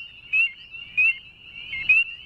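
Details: A male northern spring peeper treefrog calls within a chorus of others, giving three sharp, high upslurred peeps about 0.7 seconds apart, set against a continuous shrill background of other peepers.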